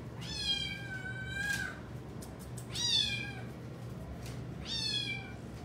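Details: Three long, insistent meows from Widget, a female Domestic Shorthair cat awaiting adoption at a rescue, spaced about two seconds apart, each starting high and sliding downward, in a quiet indoor room, 15 October 2020.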